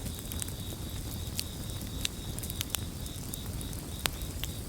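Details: Crickets in chorus, a steady high pulsing trill running throughout, beside the loud crackle and sharp pops of a burning campfire over a low rumbling background.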